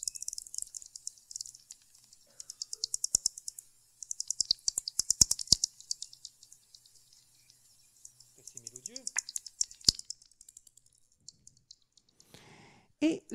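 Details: A bat gives rapid trains of high, dry clicking pulses in bursts, a little song rather than mere cries, with the song varying by species.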